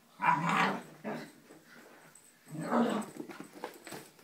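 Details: Wheaten Scottish Terrier female confronting a faux Scottie dog: rough growling barks, one at the start and another after a lull, with low rumbling between, indoors in a small room.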